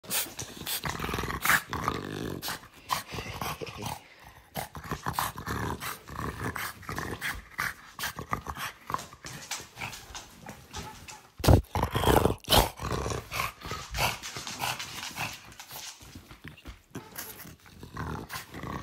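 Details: Pet dog indoors in a small room, kept off the bed, growling and grumbling in rough, uneven bursts for the full stretch, with a sharp loud outburst near the middle and rustling movement throughout.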